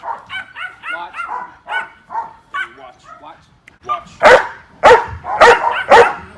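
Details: Domestic dog in protection training barking at an object without being given the command, prompted by sound and visual stimulation; a man talks first, then four loud, sharp barks follow about half a second apart.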